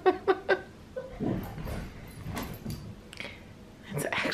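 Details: At bedtime at home, Sully, an Australian Cattle Dog puppy, plays with the other dogs. Three quick, sharp barks open the stretch, followed by softer scuffling and a woman's low voice.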